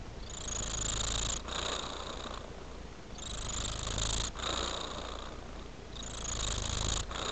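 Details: Indoor male cat loving his toy frame, purring in a deep rhythmic rumble whose loudness rises and dips with each breath, roughly six alternating phases across the stretch.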